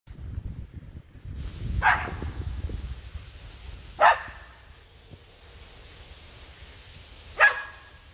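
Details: Luna, a pet Samoyed, barks at the neighbour's goats: three sharp single barks spaced about two to three seconds apart, with rustling and handling noise in the opening seconds and a quiet outdoor background.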